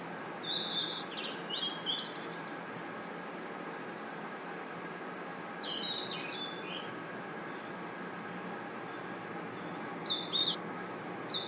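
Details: A forest at night with a continuous high cricket trill, short bursts of bird twitters scattered through, and an abrupt brief drop in the trill near the end before it resumes.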